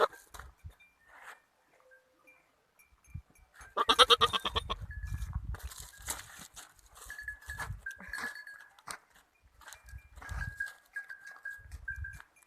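Young goats bleat in short, wavering, nasal cries, some sustained and quavering.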